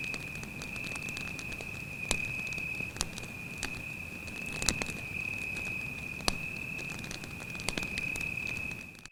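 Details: Night forest scene at a campfire: a cricket's sustained shrill trill continues without pause, overlaid by scattered crackling bursts from the fire and a soft low rumble.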